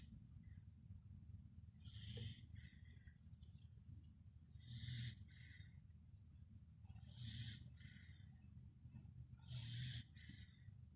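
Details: Pembroke Welsh Corgi, a pet dog, snoring while asleep: breathy, raspy snores about every two and a half seconds, each a short hissing burst over a low steady rumble, four snores in all, quiet room.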